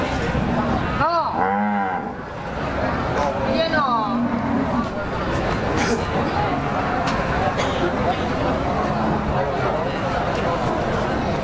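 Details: Cattle at the Jatirogo cattle market, East Java, 18 May 2018, give two short, bending moos a couple of seconds apart, heard over continuous crowd babble and general market noise.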